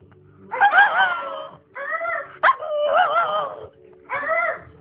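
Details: A Shih Tzu howls back in a series of wavering, tuneful notes, each about a second long, matching a person's howling.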